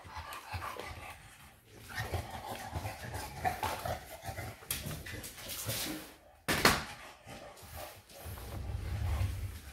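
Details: Shar pei named Eva playing wild indoors in a small room, giving rough growling and panting vocalisations with bursts of scuffling and a sharp loud noise near the middle.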